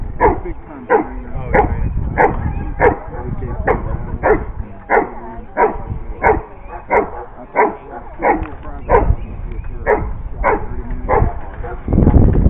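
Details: Giant Schnauzer barking steadily: deep, punchy barks repeated roughly every half second to second for about twelve seconds, with a person speaking at the start and end.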